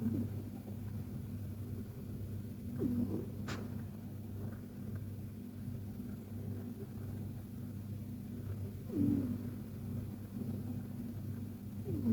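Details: KTO the Persian cat dozing in a relaxed nap: a low, steady, purring-like snore rumbles throughout, broken by a few faint, brief squeaks and a short click.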